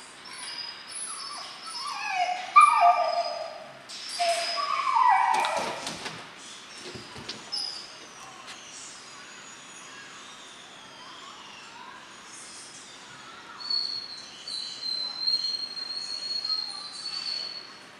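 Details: German Shorthaired Pointer puppies, Memphis and Patty, 12 weeks old, training in backing point at Mabe Kennels: a quick run of high, stepped yelping yips in the first seconds, then thumps, handling noise and quieter whines with scattered faint calls.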